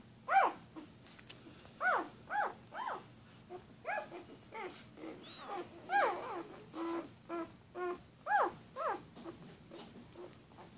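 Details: Newborn Doberman Pinscher puppies, one day old from a January 2014 litter, squealing and whining in arched, wavering cries, several voices overlapping at irregular intervals with soft shuffling.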